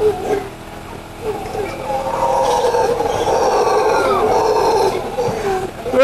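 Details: A troop of howler monkeys at an ecolodge farm in Nicaragua, met at breakfast time, roars in a deep, rolling, sustained chorus, with people talking briefly at the start.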